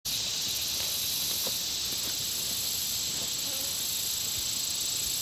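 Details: Insects around a country pond: a dense, steady high-pitched buzzing chorus with a constant shrill tone and faint pulsing trills above it. A few soft low taps and knocks sound in the background.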